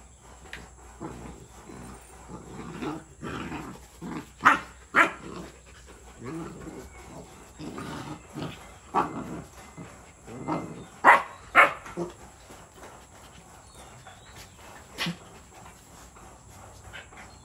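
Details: Rottweiler puppy, 62 days old, play-fighting with its black-and-tan Rottweiler mother Brownie in Sri Lanka; scuffling growls and sharp yelping barks in irregular bursts, loudest around 4–5 and 11–12 seconds, with a steady high electrical whine behind.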